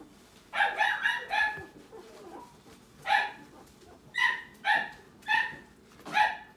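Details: Newborn Italian greyhound puppy crying: loud, clear, ringing squeals, three in a quick run, then one alone, then four more in a steady series, each short and rich in overtones, with faint rustling between.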